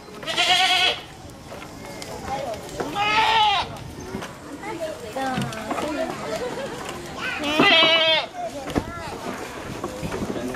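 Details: Energetic young goat at Aso Milk Farm in Japan, several short bleats spaced a few seconds apart amid steady chatter and background noise.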